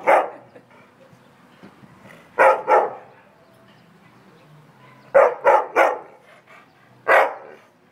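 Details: A complaining dog in January 2015 gives irregular bursts of barking: a single bark at the start, a pair near two and a half seconds, a quick triple after five seconds, and one last bark near seven seconds.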